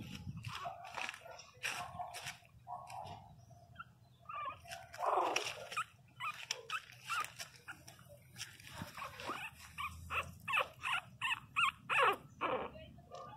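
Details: Pinscher pups 22 days old whimpering indoors: scattered short squeaks and whines, a louder cluster midway, then a quick run of brief yelps toward the end amid rustling.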